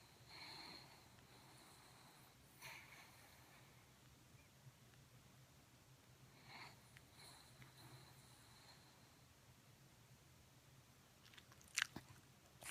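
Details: Sleeping dog snoring indoors, soft breathy snorts rising and falling every two to three seconds against a low steady hum, with a brief sharp click near the end.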